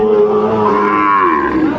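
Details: Sahiwal bull at a cattle market, bought by a farmer from Dhaka, recorded 16 May 2025; a single sustained, tonal moo lasting under two seconds, holding steady before wavering and briefly rising near the middle.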